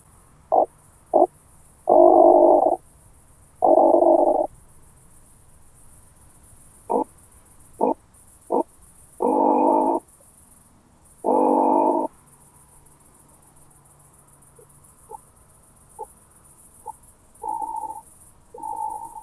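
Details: Oak bush-cricket, Starnberg, Germany, 18 July 2023, via a Pettersson D 100 ultrasound detector: repeated phrases of a few sharp ticks followed by one or two long rasping bursts, later fading to softer ticks and brief bursts over steady hiss.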